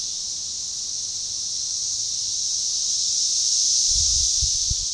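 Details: Synchronized chorus of Magicicada tredecassini periodical cicadas at a forest edge along a baseball trail near DeValls Bluff, Arkansas, June 7, 2015: a dense, continuous high-pitched buzz that slowly swells louder, with a few faint low thumps near the end.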